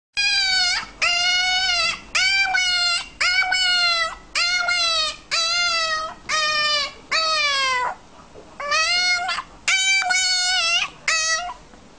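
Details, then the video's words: Puppy making calls said to sound like "mama": a run of about ten loud, tonal, slightly wavering whines, each lasting about a second with short gaps, the later ones broken into two quick parts; quiet room. "Very cute talking puppy"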